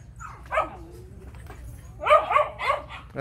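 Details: Phu Quoc Ridgeback, a yellow female kept at a kennel in Saigon, Vietnam, described as a muscular rat killer; one bark near half a second, then a quick burst of three or four yelping barks after two seconds, with a person's voice nearby.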